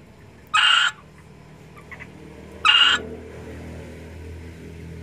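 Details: A Chinese cricket frog calls at Cixiu Park on 20 July 2020, giving short, harsh, rasping bursts about two seconds apart over a low background rumble.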